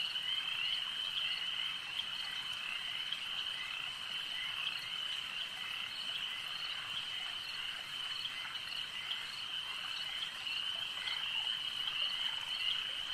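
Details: Frogs calling at a lake: a dense, steady chorus of high trilling voices forms an unbroken shimmering band, with no pauses across the stretch and faint scattered clicks underneath.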